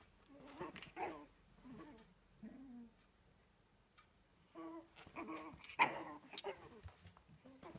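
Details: A dog acting up and wanting to annoy makes quiet, wavering whines and grumbles with strong harmonics, delivered in short bursts separated by pauses, with one sharper yelp-like note near the end.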